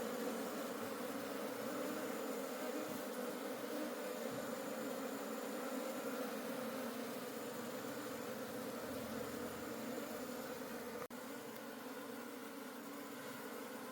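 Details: Continuous hum of a wild honey bee colony at a forest honey harvest, the bees to be carried home and kept. Low, even droning with layered overtones holds steady, broken by one brief click near the end.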